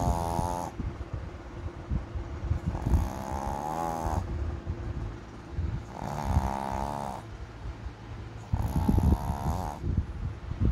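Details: A Boston Terrier snores loudly, with rasping, rattling breaths repeating roughly every three seconds; the owner suspects it is dreaming of eating.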